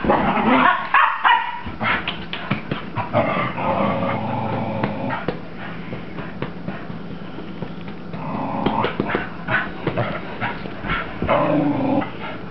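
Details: Cocker Spaniel Mocha, a pet female dog, racing around wildly after her bath: a busy run of short, irregular barks and yips with whimpering tones between them. The bursts come in quick, uneven clusters, with household noise underneath.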